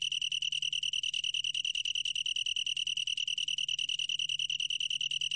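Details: A 2020 National Institute of Biological Resources recording of a long-tailed tree cricket. The shrill, pure-toned song is unbroken and finely pulsed, throbbing quickly and regularly throughout. A soft low drone runs in the background.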